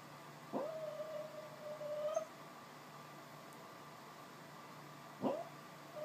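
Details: Sleeping female dog dreaming of chasing squirrels gives a long, thin, level whine lasting over a second after a sharp onset, then falls quiet before another brief yelp-like start near the end; faint steady hum underneath.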